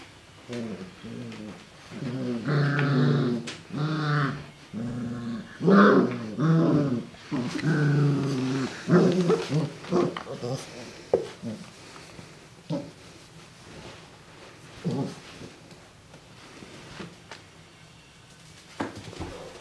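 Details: Golden Retriever puppies, 40 days old, from a first-time mother's litter, give a string of rough, throaty growls mixed with higher whimpering whines.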